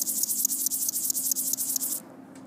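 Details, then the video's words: A bow-winged grasshopper (Chorthippus biguttulus) gives a dry, high rasping song of rapid pulses, stopping abruptly after two seconds. "Sounds of a grasshopper (Nachtigall-Grashüpfer)"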